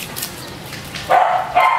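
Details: Chopper, a Belgian Malinois in training, lets out two sharp, tonal barks half a second apart after a quiet pause, with soft room noise between commands.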